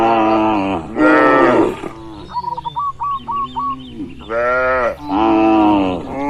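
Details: Tame cattle roaming loose in open grassland: two strong rough moos, a pause filled with a series of quick repeated bird chirps, then two more long harmonic moos.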